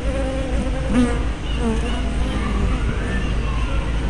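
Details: Honey bees coming and going at a hive entrance on 24 May 2012, caught by a small fisheye spy camera: dense continuous buzzing with several bees passing close, wavering pitch, over a low background hum.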